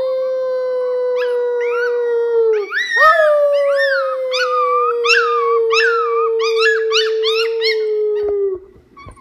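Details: Baby coyote howling: a long, steady high-pitched howl slides down slightly, then breaks into a series of wavering, yodelling rises and falls before trailing off after about eight seconds.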